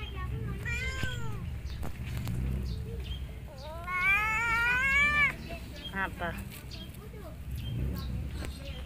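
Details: Lonely, hungry cat meowing very loudly: a few short arched meows, then one long, strained, rising-and-falling meow held over a second, followed by quicker broken calls, with human voices talking in the background.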